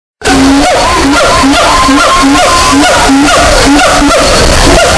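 A siamang gives rapid, repeated hooting notes with higher whoops above, boosted until harsh and distorted.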